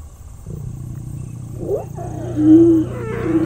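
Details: Lion at night in Kenya's Mara conservancies, close to a safari vehicle: low rumbling roar building into a louder drawn-out note, with a steady low engine hum underneath.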